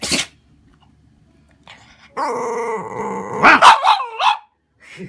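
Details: Pet dog barking and shouting, irritated and demanding food. A short yelp, then a drawn-out harmonic whine, then a quick burst of four or five sharp barks and a faint final yap, all indoors with no other sounds.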